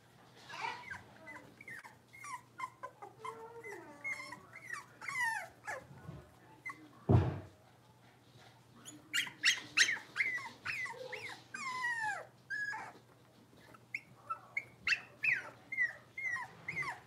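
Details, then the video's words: Five blenheim Cavalier King Charles Spaniel puppies, born at New Year's to Paris and Spike, playing in an indoor puppy pen; overlapping high whiny yips and rising-falling whimpers, busy and irregular, with one sharp thud near the middle. "Cavalier Puppies Livestream: Playing, Barking, and Learning"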